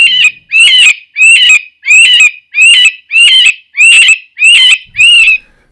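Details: A cottontail rabbit's distress or alarm call: nine harsh, shrill, high-pitched cries, each about half a second long, repeated rapidly with short gaps, much like a human scream or cry.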